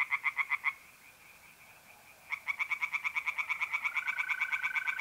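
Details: Night chorus of tree frogs in a pond, mid-April, north-eastern Italy: a brief series of sharp pulsed croaks, about a second of near quiet, then a long rapid croaking run joined by a mole cricket's smooth trill.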